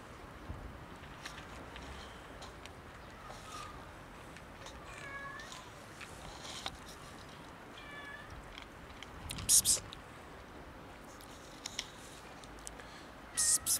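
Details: Several cats asking for food, meowing in short, soft, rising-and-falling meows at scattered intervals, about four or five across the stretch, over a quiet background with occasional sharp clicks and knocks and faint voices.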